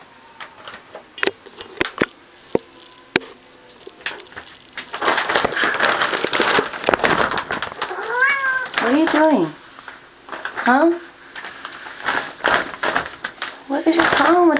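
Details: Pet cat named Feller freaking out over a shower curtain indoors at night; several rising-then-falling yowls with clear harmonics in the second half, mixed with rustling, thumps and a man's voice talking to the cat.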